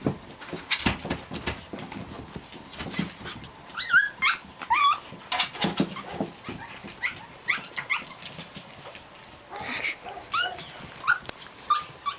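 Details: Japanese Chin puppies, Hestia, Fizzz, Asti and a baby girl, playing indoors; bursts of high squeaky yips and whines with short growly grumbles, irregular and overlapping, a woman calling names softly in between.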